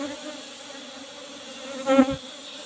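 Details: Short burst of Asian honey bee buzzing at a box hive during honey harvest. A steady low hum swells briefly louder near the end as a bee passes close by.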